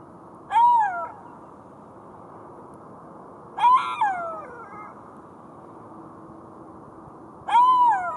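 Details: Golden jackal wailing in three brief bursts; the middle cry trails into extra falling notes, and a steady low hum sits in the background.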